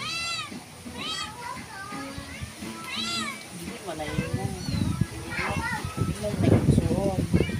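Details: House cat giving three quick, high, arched meows in the first few seconds, then a person talking and handling noises take over with lower, busier sound.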